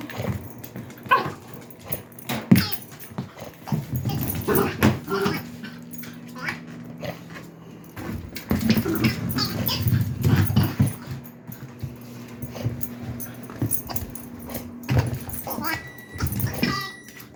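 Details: Indoor Dachshund frustrated by a squeaker toy, worrying at it: low grumbling and soft whimpers come in uneven bursts, mixed with scratching and chewing clicks and rustling, with louder stretches around five and ten seconds.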